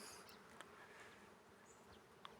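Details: Many honey bees foraging on a large carob tree buzz together in an even, unbroken, many-voiced drone that fills the background, with a couple of faint clicks breaking through the hum.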